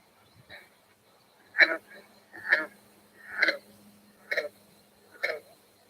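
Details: A green frog, common around ponds on summer evenings in Connecticut, gives abrupt, twanging banjo-like notes, five or six separate gulps at roughly one-second intervals over a faint electrical hum.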